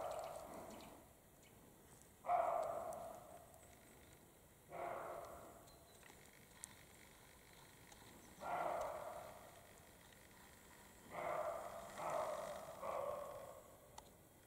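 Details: European roe deer, a male and a female in mating period, in the Carpathian mountains; a slow series of six to seven hoarse, breathy barks spread over fourteen seconds, some softer and more distant.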